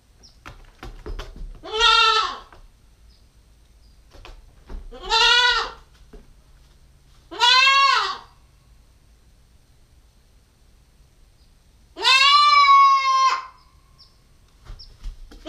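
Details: Repeated bleating by a nine-week-old Nubian goat kid, a female, caught on a GoPro stakeout: three wavering calls about every three seconds, a pause, then a longer, steadier bleat; light clicks and rustles between.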